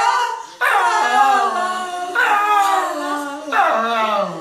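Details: A female Fox Terrier 'sings' in duet with a person, giving sustained, rich howls that waver in pitch and sag downward at the end, three drawn-out phrases with short breaks between them.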